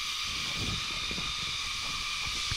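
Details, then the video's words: Many crickets on the shaded trail to Salinas Salt Spring, Nueva Vizcaya, Philippines, make a loud, steady, high-pitched drone, continuous with no breaks, while faint footsteps and murmurs sound below it. "Ang ingay ng kuliglig. Kuliglig ba yun? Oo, kuliglig."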